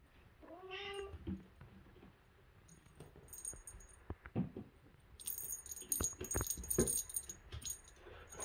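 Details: A Bengal kitten gives one clear, harmonic meow that rises then falls near the start, followed by rustling, soft thumps and a bright jingling rattle like a bell toy.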